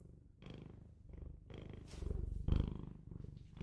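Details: Pet Bengal cat purring up close, a deep throbbing rumble in short swells that grow louder toward the end, with a brief thump and light rustles.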